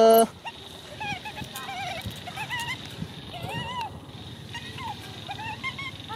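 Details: Baby monkey giving a run of short squealing cries, each a quick rising-then-falling whistled note, repeated irregularly every half second or so, one longer arched wail in the middle, with a faint human voice at the start.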